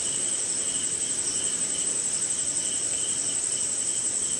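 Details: Rainy night in India with crickets and other insects calling together: an unbroken, piercing high trill and a lower chirping band pulsing in uneven bursts, set against a gentle wash of falling rain.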